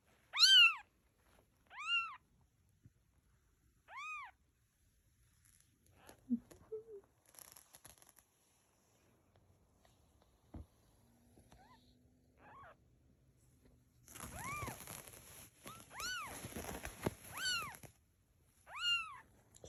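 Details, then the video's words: Cat and kittens, a domestic group: a series of short, high, arched meows about every two seconds, then a denser cluster of overlapping meows with rustling and scratchy handling noise near the end. "Cat And Kittens Meowing"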